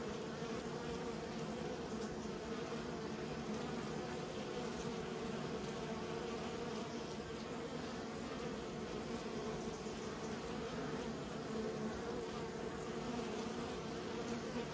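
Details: Honey bees being raised, a steady dense hum of many wings throughout, low and continuous with bands around the low-mid range, no pauses or other clear sounds.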